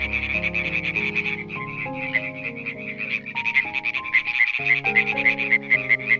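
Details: {'text': 'Rattling, rapidly repeated croaks of a European tree frog, growing stronger and more evenly spaced toward the end, over a backdrop of calm piano music.'}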